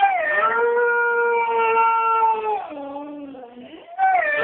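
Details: A Siberian Husky, in a howling contest with a girl, gives a long, tonal howl that holds steady, dips lower, then rises again.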